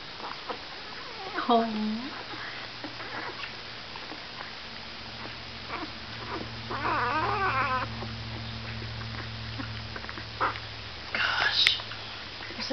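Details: Great Pyrenees puppy Romeo, a bottle-fed male with a heart-shaped mark on his head, one of three littermates, still acting hungry after a feeding; a drawn-out falling whine, then further squeaky sounds amid close indoor human talking.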